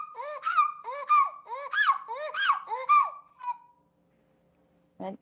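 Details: A pileated gibbon at a conservation center gives a run of hooting, rising-and-falling alarm notes in quick succession; gibbons vocalize while breathing both in and out.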